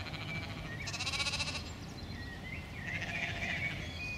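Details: Mouflon bleating on Thomayer Hospital grounds in Krč, Prague, Czech Republic, on 14 May 2017. The herd comes from nearby Kunratice forest and is unafraid of people. A short, rich harmonic bleat sounds midway, with bird chirps and twitters around it.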